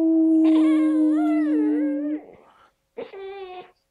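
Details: Four-month-old tricolour Basset Hound puppy learning to howl: a long wavering, rising-and-falling howl over about two seconds alongside a steady low drawn-out tone, then a short second howl after a brief pause.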